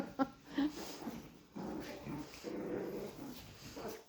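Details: Chihuahua puppies indoors during floor mopping: two sharp, high yips open, followed by a sustained low, rough growling that rises and falls in bursts, with faint scuffling and room noise.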